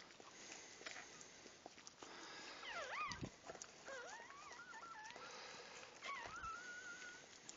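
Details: Puppies at their birth whining in rising and falling squeals, with a sliding cry near three seconds, a wobbly run of whines, then a long, level whine at the close, with rustling and handling noise throughout.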